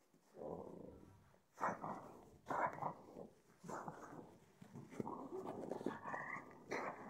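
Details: A freshly showered pug snorts and grunts in raspy, noisy bursts that start abruptly, roughly one each second, growing busier toward the end, indoors.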